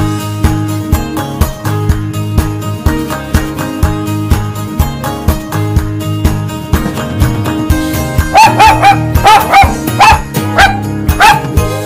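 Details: A dog gives a run of clipped barks near the end, roughly five in quick succession, after a stretch of loud rhythmic music that continues underneath.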